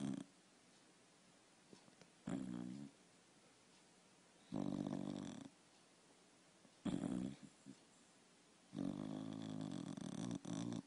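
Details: A dog asleep indoors snores in five rough, rumbling bursts a couple of seconds apart, each a low buzzy rattle separated by near silence.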